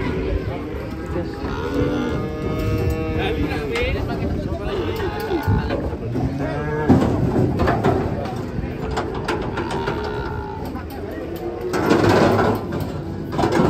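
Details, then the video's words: Cows coming down off a truck in Indonesia give several low, wavering moos, overlapped by people talking and shouting and bursts of clanking noise near the end. "KUMPULAN SAPI EXTRIM TURUN DARI TRUK"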